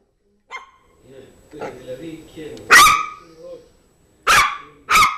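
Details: Zizel, a Yorkshire terrier, meeting and playing with a new mouse toy, gives soft whines and grumbles, then three loud sharp barks near the end.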